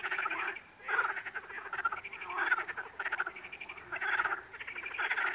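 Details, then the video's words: Frogs give harsh, pulsed croaks that run into each other, a throaty rattle pausing only briefly between calls. "What sound do frogs make?"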